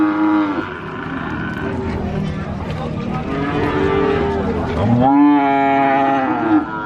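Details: Cows at a cattle market in Sokaraja, Purwokerto, Banyumas, Indonesia, giving a short moo, a longer drawn-out moo in the middle, then a loud rising-and-falling moo, with background chatter and market bustle.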